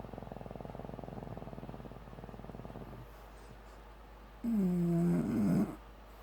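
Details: Sophie, a female Bulldog, dreams in her sleep: steady rapid snoring pulses for about three seconds, then after a quiet gap a short muffled sleep-bark with a whining tone near the end.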